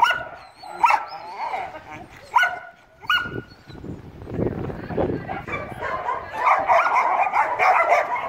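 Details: American Staffordshire Terrier being groomed with a trimmer brush for shedding hair: several high, drawn-out whining tones in the first seconds, then rustling and scraping brushing noise with softer vocal sounds underneath.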